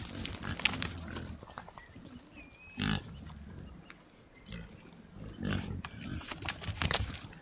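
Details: A sounder of Oxford Sandy and Black pigs on a woodland trail camera grunts low, snuffles and gives a few brief high squeaks while rooting around for food.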